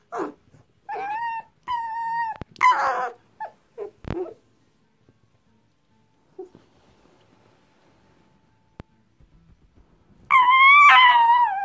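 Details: Nervous pet fox, just woken and resisting being petted, lets out loud, wavering, harmonic squeals in a cluster, then falls silent for several seconds before one long, strained squeal at the end.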